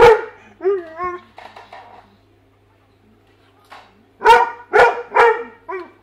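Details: Weimaraner dog indoors, trying to get at fish in a tank: a string of whining, yelping barks with bending pitch, a pause, then three loud sharp barks about half a second apart and a final softer yelp; steady low hum behind.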